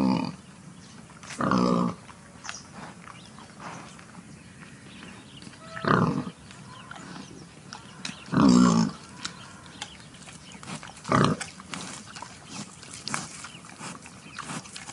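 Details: Wild boar in a clearing near the forest, giving a few short, separate grunts spaced several seconds apart, with quiet ambient background between them.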